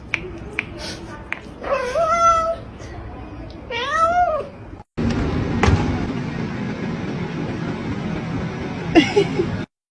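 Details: Cat or kitten giving two drawn-out, bending meows over a man's talking, followed by music and background noise.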